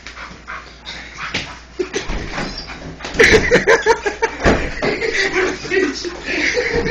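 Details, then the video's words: English bull terrier Yaqui roughhousing with a person, getting a little too rough; short harmonic whines and yelps come in a quick irregular burst midway, over scuffling, with human voices throughout. "Bull Terrier Rough Housing"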